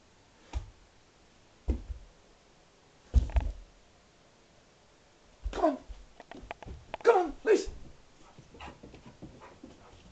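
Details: Female Alaskan Malamute indoors on Christmas morning, 25 December 2012, enjoying one of her presents: a few low thumps, then short wavering whiny moans rising and falling, with soft rustling in between.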